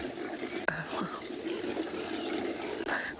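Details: Impala at sunrise on 21 December 2021: rutting males chase each other from all angles, giving harsh, guttural grunts and snorts in a rough, continuous stream that suddenly erupts, broken by a couple of sharp knocks.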